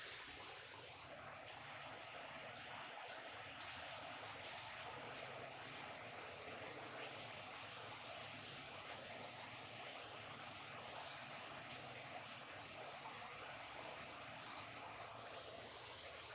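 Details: Big brown katydid, described as a garden pest, chirping: thin, very high-pitched buzzy pulses in short bursts, about once every second and a half, steady and even throughout over a soft hiss of background noise.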